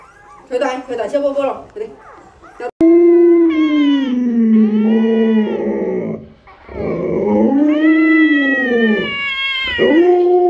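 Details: Pet Alaskan Malamute at home giving long, drawn-out howling calls that waver up and down, starting after a short burst of choppier yelps. Several rising-and-falling howls run smoothly into one another, with rich overtones.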